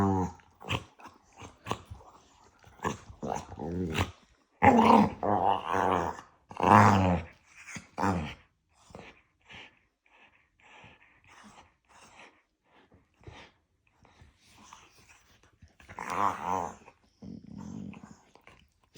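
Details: Two pet dogs treated as a married couple, yapping and arguing nose-to-nose indoors with playful love bites; harmonic whining growls in bursts around five to eight seconds, then scattered short clicks and snorts, a final growl near sixteen seconds.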